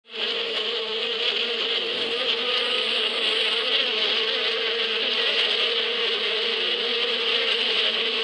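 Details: Bees in spring in the Bedouin desert countryside: a dense, unbroken humming drone of many wings that fades in over the first moment, then holds at a steady level, with a lower hum beneath a bright, hissing upper buzz.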